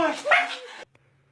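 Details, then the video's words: Husky puppy at a kennel in Mumbai, making a barking, funny noise: one short, strained yowl under a second long with bright overtones, rising then dropping in pitch, cut off abruptly into near silence. "husky puppy barking making funny noise"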